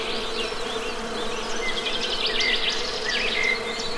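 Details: Honey bees humming in a low, steady drone with a few higher harmonics, while small birds chirp and twitter over the top throughout.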